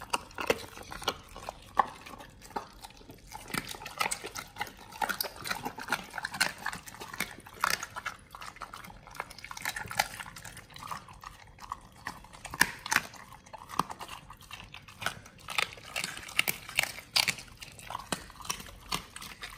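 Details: Raw-fed Pit Bulls crunching through frog legs, soft-shell crab and duck feet in a close indoor recording: steady busy crackling and snapping bites with wet smacking, continuous with no pauses.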